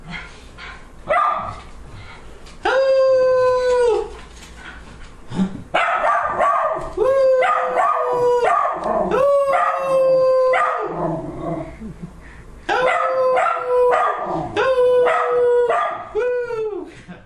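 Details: Pet dog Max howls in long drawn-out notes that rise at the onset, hold steady, then slide downward, grouped into bursts with short breaths and quieter gaps between them.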